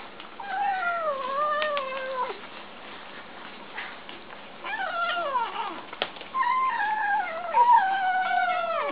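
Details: Several kittens vocalising while they eat, giving a run of wavering, descending mews and squeaky cries, some overlapping, with brief clicks and a sharp tap midway, the calls growing louder toward the end.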